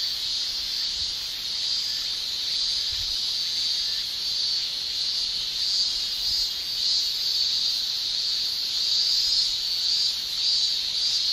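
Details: Male Japanese cicadas shrilling in summer in Japan, a continuous dense high buzzing chorus with steady loudness and slight pulsing throughout, no other clear sounds.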